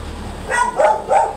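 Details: Very big yellow Labrador at a stud service in Manaoag, Pangasinan, giving three short, clear, tonal barks or yips in quick succession over about a second, with a low steady hum behind.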